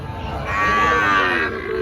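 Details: Sahiwal bull at a busy cattle market in Panchbibi, Joypurhat, Bangladesh, on 13 June 2024, giving one loud drawn-out harmonic moo lasting about a second, with market chatter beneath.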